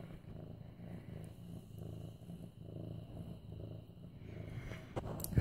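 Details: Mufasa, a male orange tabby cat almost 8 months old, rumbles a deep continuous purr with regular breathing swells while being petted, ending with a faint click.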